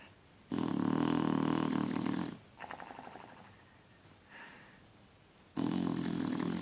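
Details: Sleeping Shar Pei giving loud, rough, buzzing snores lasting nearly two seconds, a softer wheezy breath between, then another heavy snore starting as the first returns, in a quiet room.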